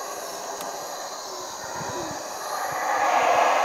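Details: Howler monkeys at Cotton Tree Lodge, Belize, at four in the morning; a continuous gravelly roar swells louder toward the end, over a steady shrill insect background.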